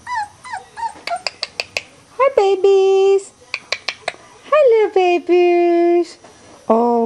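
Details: Three-week-old Weimaraner puppies of the Bravo litter, indoors with new toys in their whelping box, give high whining yelps, several sliding downward and some held steady, mixed with quick clicking taps.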